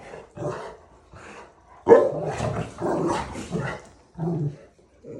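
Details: Rottweiler Zuko at play with Cinder, giving short gruff barks mixed with growls, about six bursts of under a second each, separated by brief silences.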